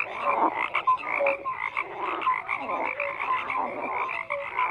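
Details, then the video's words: Dense gathering of frogs croaking, clipped tonal notes and raspy pulses piling over one another without a break, loud and continuous across the whole stretch. "FROGS CROAKING"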